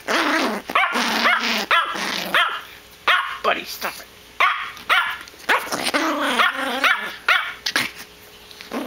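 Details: Yorkshire Terrier Pebbles in a toy tantrum, rapid yappy barks and rising-falling growly whines, while a person tells her to relax, lie down and sit, offering a treat, with background music.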